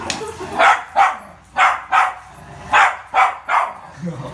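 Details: Rio the Poodle barks while playing ball: seven short, punchy yaps, mostly in pairs with brief pauses between, over a quiet indoor background.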